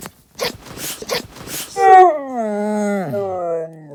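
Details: Stella the dog lets out a long, drawn-out harmonic moan that holds steady and then slides downward, after a few seconds of human speech.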